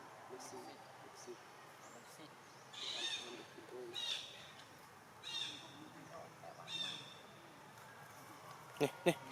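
A newborn monkey screams in shrill, high bursts, each lasting under a second and repeating about every second and a half.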